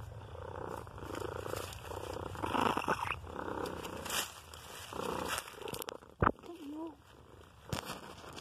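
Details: A friendly gray cat, out on a walk in the woods, purrs in low, rhythmic pulses while a woman speaks softly to it. The cat rolls over for tummy rubs and reaches for the phone.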